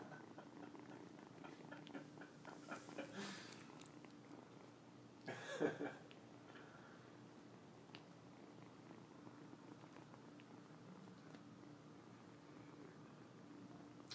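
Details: Kneading and licking a person's legs like a nursing kitten, a young male cat purrs with a soft, continuous low rumble. A short loud rustle comes near the middle, with faint handling noises early on.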